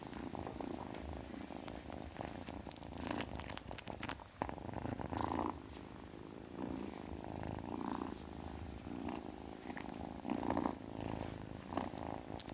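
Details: Kitten purring in a soft, even, vibrating drone, growing louder after 4 seconds, with occasional breathy high bursts layered over the pulsing rumble.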